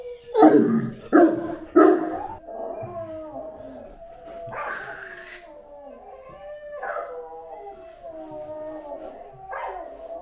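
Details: Great Dane Anúbis gives three sharp, loud barks in quick succession, then a long, drawn-out howl that wavers and falls in pitch and trails off softly.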